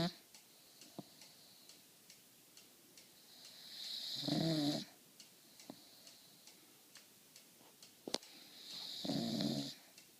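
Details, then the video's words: Penny, an English Bulldog, snores while sleeping indoors: two long rough rattling snores about five seconds apart, with soft ticking and faint clicks between them. "Penny the English Bulldog Snoring"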